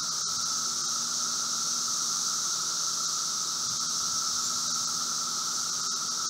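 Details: Brood V seventeen-year Magicicada periodical cicadas emerging in late spring, outside a residence in Logan, Ohio, June 4, 2016, 3:10 p.m.; a steady, even, high droning roar of many cicadas holds unbroken throughout, with a lower hum beneath.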